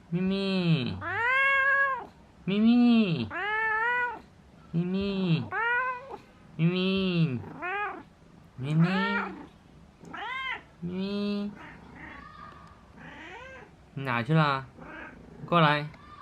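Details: Pet cat meowing over and over, roughly one bright arching cry every two seconds; near the end the calls become shorter, choppier and more broken.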